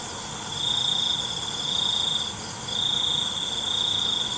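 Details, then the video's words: A cricket calls at night with two sustained high trills, the first lasting about a second and a half and the second over two seconds. A brief pause separates them, and a steady shrill insect chorus runs underneath. "ALUNAN CENGKERIK MALAM"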